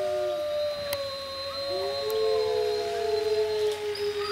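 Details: Captive wolves at Monde Sauvage howling together with people: several long, sustained tonal howls overlap, some holding level while others glide up or down, forming a layered chorus with a few brief clicks.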